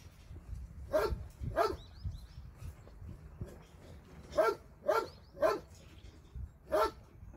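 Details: Dogs at an animal shelter, visited by a volunteer on a Sunday; sharp barks in two bursts, a pair early and a run of four later, over low rumbling background noise and faint voices.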